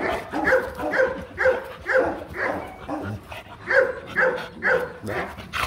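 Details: Rottweilers at a mating session in Hanoi, Vietnam, a male courting a reluctant female; a dog barks in a steady series of short, harmonic barks, roughly two per second, with a brief pause midway.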